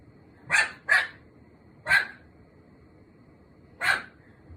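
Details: Normally quiet cream Pomeranian barking at the bathroom indoors: a quick double yap, a third bark a second later, then one more after a two-second pause, each bark short, bright and high-pitched against a low background hum.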